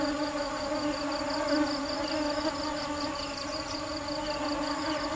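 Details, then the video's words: Hardworking bees searching for nectar make a continuous low drone with bright overtones and little change in loudness. A rapid pulsed high-pitched ticking runs through the background. "Tiếng kêu và hình ảnh những chú ong chăm chỉ tìm mật ngọt"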